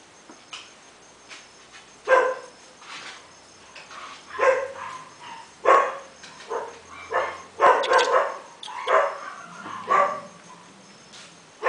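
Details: A red male toy puppy, 55 days old, named Chilli Pepper Jr. of Quindim, gives a string of short, sharp, high yips and little barks. They come in uneven bursts, some doubled and close together, against a quiet background.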